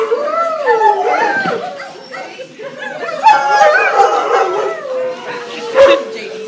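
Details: Group of greyhounds howling at a 2010 adoption picnic in Atlantic Canada; wavering, overlapping howls with bends and short yips, voices rising and falling, ending in a long steady falling note.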